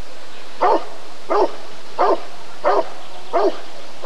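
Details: Rottweiler barking at a 1994 ADRK Körung breed survey: five deep, rough barks spaced about every 0.7 seconds, steady and evenly paced against a faint background hum.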